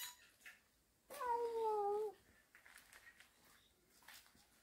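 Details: Cat from a family of cats living in a warehouse, recorded indoors on October 19 while a cat catches a small snake; one clear drawn-out meow of about a second, slightly falling in pitch, with faint rustling around it.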